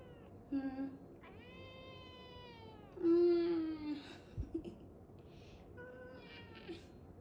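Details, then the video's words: Cat meowing repeatedly indoors, one long drawn-out meow and a louder wavering one, with a brief thud and a person speaking nearby. "Funny sounds of cat🤣"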